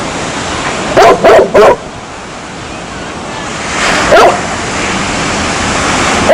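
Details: A dog gives a quick run of three sharp barks, then after a pause two more isolated barks, over a constant rushing hiss resembling waves.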